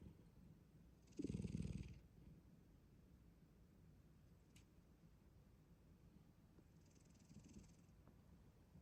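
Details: Black cat in deep sleep, giving one clear rasping snore with a low, fluttering rumble and breathy hiss, then a much fainter second breath several seconds later, otherwise quiet.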